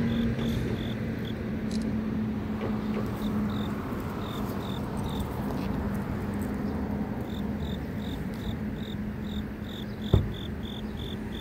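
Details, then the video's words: Grass insects in the city, their short high chirps pulsing in uneven runs over a constant low rumble of traffic and a steady droning hum, with one sharp knock near the end. "도심속의 풀 벌레소리"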